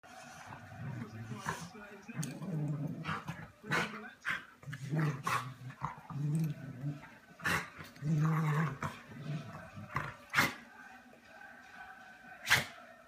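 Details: Two dogs play-fighting: low, rumbling growls come in repeated bursts of about a second, mixed with snorts, brief harsh barks and scuffling knocks throughout.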